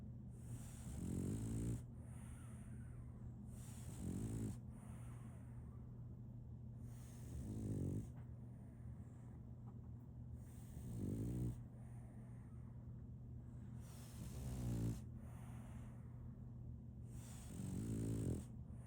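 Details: Sleeping French Bulldog named Solaimy snoring: six harsh, rumbling low snores, each about a second long, recurring roughly every three seconds over a steady low hum, with quiet breathing between them.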